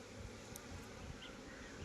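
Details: Honey bees at managed hive boxes on a bee farm in Nellore, India, giving a steady, low droning hum that runs unbroken through the whole short moment, with a faint higher tone briefly rising above it.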